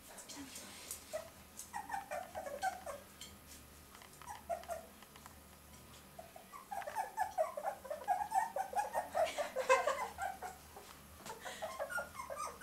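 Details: Fox Terrier puppy whimpering and whining, with high, wavering squeals in short bursts, first a brief run early on and then a longer, denser spell of rapid whines; human speech is heard in the background.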